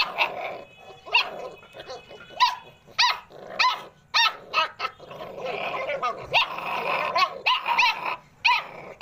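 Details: American Pit Bull Terrier puppies yapping in short, high, sharp barks, roughly a hundred a minute at irregular spacing, mixed with rough, noisy growling between them.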